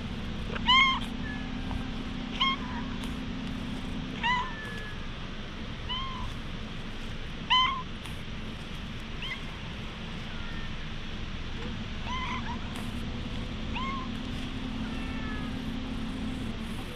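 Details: Stray cat meowing while being patted, recorded on a GoPro HERO8. About nine brief, high mews come roughly every two seconds, some softer than others, over a constant low drone.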